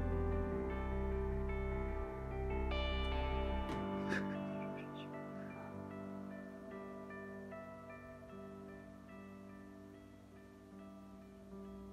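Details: Gentle plucked guitar music with sustained tones, plus a brief cluster of bright rattling sounds near the four-second mark.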